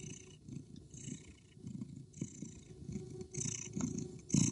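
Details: Cat fight between a male Persian cat chasing a female street cat, who fights back aggressively: low, rough, pulsing growls rumble throughout, with brief hissy bursts and rising intensity toward the end.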